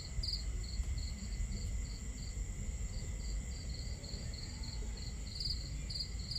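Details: Night crickets beside a camp fire chirping in short, even, high-pitched pulses that grow stronger toward the end, all set against a heavy low rumble of flowing water and crackling wood.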